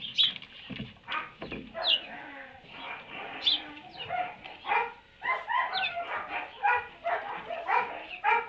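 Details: Donkey braying inside a barn around midday on 30 March 2019: a long run of loud, raspy, harmonic honks pulsing about twice a second, with a few high bird chirps early on.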